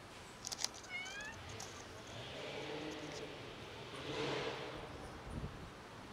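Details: A family of cats meows while begging for food: a quick pair of short, high, slightly falling meows near the start, then soft rustling and steady background hiss.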